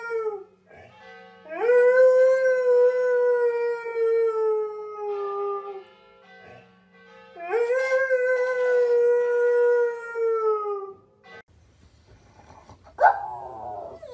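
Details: Pet dog named bubby howls twice after a Thanksgiving walk. Each howl is long and sustained, starts with a quick rise, slowly falls and lasts about three seconds, with a gap between them. A brief higher yelp comes near the end, over soft music.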